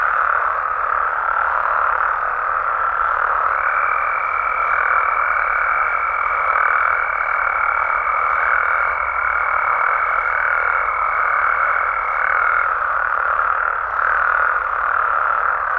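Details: Nighttime amphibian chorus from Mexico, many frogs and toads croaking together in a loud, even drone with soft regular pulses, joined midway by a long, steady high-pitched trill lasting about nine seconds.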